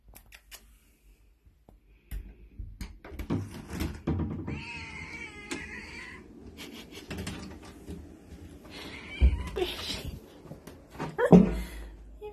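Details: Bush baby asking to come in: one wavering, harmonic call of about a second and a half in mid-clip, then quieter squeaks, with knocks, clatter and rustling throughout.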